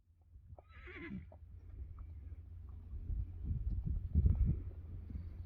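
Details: Friesian horses in a meadow, a young stallion wanting to play like a colt while fillies resist; a short wavering, high whinny near the start, followed by heavy thudding hoofbeats and rustling on the ground.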